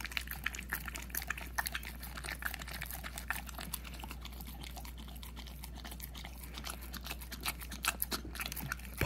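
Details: Almost a year old, the puppy Hunter laps at peanut butter in a small room, making quick sticky smacks and chewing clicks, with a louder clatter right at the end.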